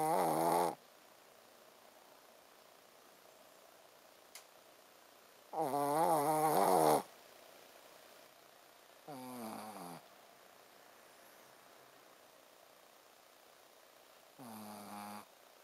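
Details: Sleeping Shih Tzu Ponzu snoring 'buu, buu': four rasping, harmonic-rich snores spaced irregularly several seconds apart, the second longest and loudest, with quiet breathing gaps between.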